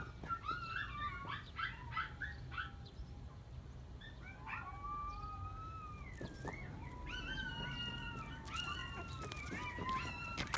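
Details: A dog outdoors giving high whining, whistle-like calls that slide and waver, some rising then falling, in short runs, over a low steady background rumble.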